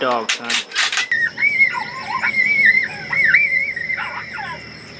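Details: Coyotes in summer: wavering, yodelling high howls that rise and fall and overlap for about four seconds, following a few sharp broadband knocks at the start, over a faint steady hum and a quiet outdoor background.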